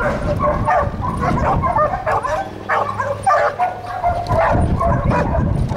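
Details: Treeing a raccoon, two Catahoula dogs give continuous, choppy barking with yips, the barks tumbling over each other, while a low steady hum runs through the middle.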